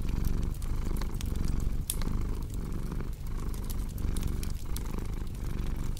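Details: Low steady purring of a cat with short breath pauses about every half to three quarters of a second, accompanied by crackling fireplace pops and occasional louder snaps.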